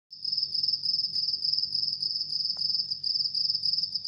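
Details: House cricket chirping in a steady, fast run of high, shrill pulses, about 200 per minute, with no pauses and only a faint low hum underneath.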